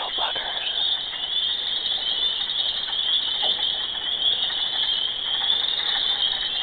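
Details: Mating frogs in a loud chorus heard day and night, many callers merging into an unbroken shrill, buzzing trill that holds an even pitch and level across the whole stretch.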